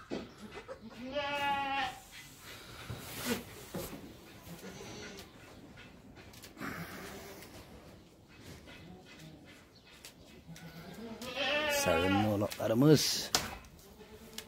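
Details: Young goats giving a short bleat early, then a louder, more urgent series of bleats near the end, amid rustling, thumps and background noise.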